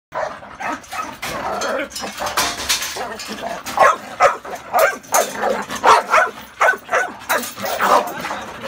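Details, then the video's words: Pitbull or Rottweiler, called the most aggressive Caribbean dog, barking hard: rough, broadband barks repeated about twice a second through the second half, after a noisier, blurred stretch of sound at the start. "Pitbull and Rottweiler the most Aggressive Caribbean dog in the world"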